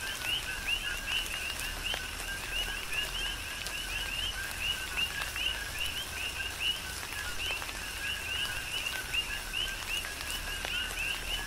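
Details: Coqui frogs calling in a tropical rain shower on the Big Island of Hawaii: many overlapping two-note chirps, a low tone then a higher rising whistle, repeating steadily throughout, with pattering raindrops and a soft hiss of rain beneath.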